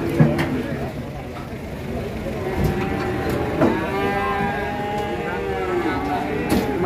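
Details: Cattle, a cow on a rampage in Indonesia, lowing with a long harmonic moo around the middle of the clip; rain and people talking nearby.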